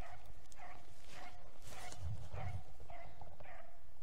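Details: Dog baying during a roe deer hunt in 2021, the year's first los: evenly spaced short barks about every half second, partly masked by low rumbling and thumping handling noise.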